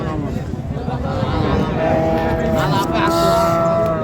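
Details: Friesian and crossbred bull calves at Ambari cattle market, Dinajpur, on 29 December 2025. A drawn-out harmonic moo rises out of the crowd noise, with market chatter and traffic all around.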